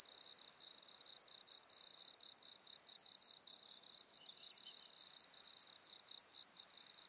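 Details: Field cricket, Gryllus campestris, recorded at Elsbethen, Austria, 24 April 2020: a continuous series of bright, trilled chirps of a few pulses each, roughly three per second, with brief irregular gaps.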